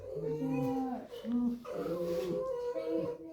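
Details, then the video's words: Squeaky, moaning whines from a red fox kept in a room, refusing to go outside: short sliding tones followed by a longer wavering cry, with soft music behind. "Лисица скрипит"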